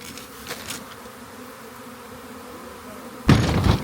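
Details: Honey bee swarm found by a rain gauge: a steady, low droning hum with layered tones, ending in a sudden loud rustling burst of handling noise.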